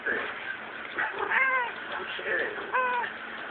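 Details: Domestic cat in heat, visited at a house, gives two drawn-out wavering meows, the second louder, while people talk and laugh nearby throughout.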